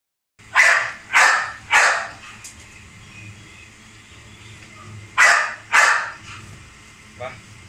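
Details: Male Rottweiler named Hummer, filmed around feeding and exercise, gives five sharp, loud barks: three quick ones roughly half a second apart, a pause, then two more, with a faint low hum behind.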